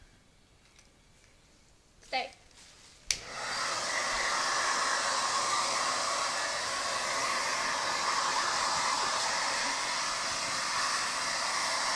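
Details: After a few faint indoor knocks, a hair dryer switches on and roars steadily to the end.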